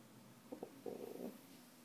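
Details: Mr. Dasch, a Dachshund, sad at being ignored while his owner sits at the computer, head buried under a blanket, gives low crying noises: a few soft, short whimpered notes, then a wavering whine in a quiet indoor room.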